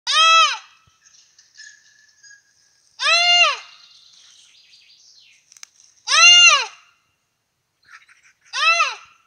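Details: A red deer fawn in Europe calls for its mother with loud, nasal bleats that rise then fall, repeated about every three seconds.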